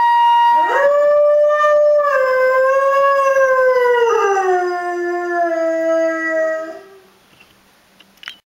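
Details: Pet dog howling along to a flute, one long wavering howl held about six seconds, dipping lower near the end and fading out, then a brief faint sound.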